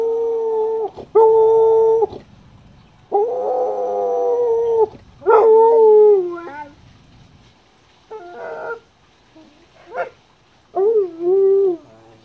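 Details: Dog aged eleven doing its funny 'singing', another dog aged seventeen present; series of long even howls and shorter bent, wavering notes, some sliding down then up, with pauses between phrases.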